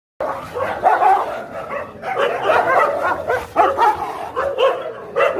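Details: Dogs fighting: a continuous tangle of harsh snarls, growls and rough barks, loud throughout with bursts of rising intensity and no pauses.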